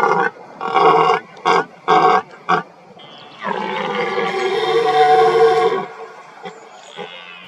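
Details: During the rutting season, a red deer stag gives a run of short, deep grunting bursts, then one long, rough, drawn-out roar, roaring to intimidate rivals and impress hinds.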